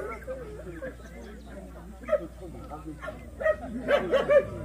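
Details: At a Korean Jindo dog show, the Association's 66th best Jindo contest, scattered sharp barks build toward the end into a quick cluster of three or four yaps, with voices talking throughout.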